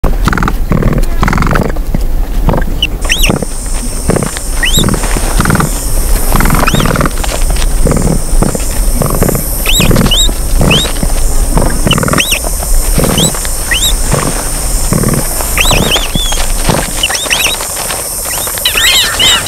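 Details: Capybaras lying on a bed give low, pulsing grunts and clicks, mixed with short high squeaky whistles.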